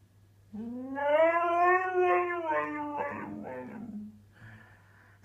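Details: Husky at home, annoyed by its owner's sneezing, talks back: a drawn-out, rising then falling howl-like moan with rich harmonics, breaking into rougher grumbling notes near the end; a steady low hum beneath.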